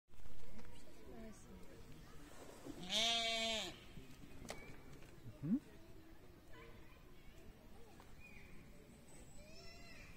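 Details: Pygmy goat in the petting zoo of the Hohe Wand wildlife park, Lower Austria, gives one wavering, nasal bleat of under a second, amid faint people's voices and outdoor noise.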